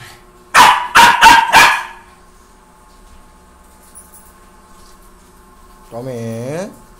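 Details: A playing Pomeranian (Indian Spitz) puppy gives four quick, sharp, yappy barks, followed later by a brief human voice.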